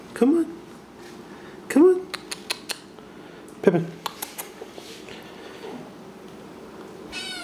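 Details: Sphynx cat at play indoors, giving short rising-falling meows at about 0.3, 1.8 and 3.7 seconds, with light tapping and rustling between them and a steady low household hum.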